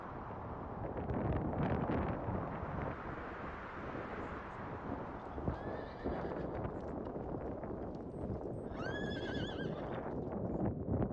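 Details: Mongolian horse in Erdenesant district, Töv Province, Mongolia: a steady rumble of hoofbeats and broadband noise throughout, then a short, high, wavering whinny with stacked harmonics near the end.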